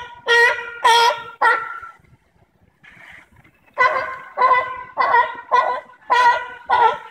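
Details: Sea lions at the Bronx Zoo, recorded on September 5, 2014, give loud, hoarse honking barks in short bursts, one after another.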